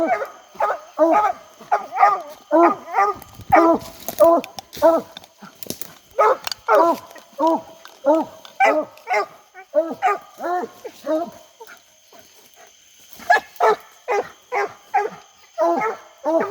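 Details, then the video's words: Several English Coonhounds baying steadily during a hot summer night coon hunt, a fast run of chopped bays about every half second with a brief lull near twelve seconds; a man talks briefly and insects hum. "Long live the sound of a hound"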